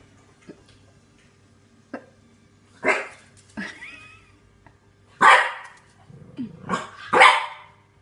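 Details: Frightened French Bulldog puppy Neo barks at a green washing basket while being urged to be brave; a few soft huffs build to loud, harsh barks spaced about a second apart, with a low background hum.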